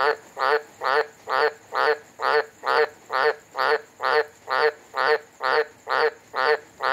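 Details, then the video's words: Frog calling in Humpty Doo, Northern Territory, Australia, on a hot, wet monsoon night, 4 December 2020, making as much noise as it could: loud, steady pulsed croaks about twice a second, around fifteen in a row, with little background noise. "Loud Frog Croaks Along to Its Own Beat"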